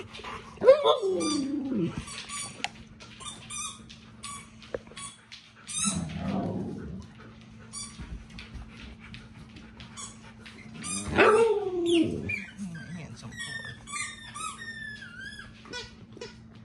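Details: Pet dogs at home, vocalizing while their owner tries to relax and watch a TV show; drawn-out, sliding whiny moans near the start, around six seconds and again near eleven seconds, between short squeaky yips, over a steady low hum.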